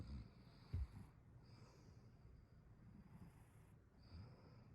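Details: Domestic cat snoring while sleeping comfortably; soft, low rumbling breaths come as short muffled bursts near the start and again toward the end over a steady low background hum.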